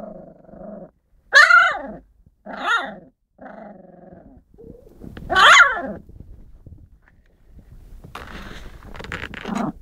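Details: Husky puppies, four together, mix low buzzy growling grumbles with loud, sharp yelps that rise and fall, then rustling and scratchy noises at the end.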